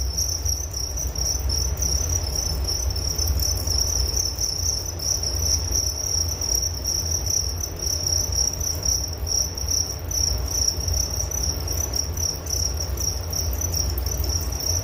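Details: Steady chorus of crickets, a high piercing trill running without pause, rapid pulses with brief small gaps, set against a noticeable low background rumble.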